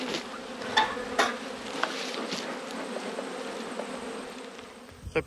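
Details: Honey bees humming during an autumn hive inspection, one of twelve hives, where a colony has swarmed and raised a new queen; a steady low droning hum throughout, broken by a few sharp clicks and knocks of hive equipment.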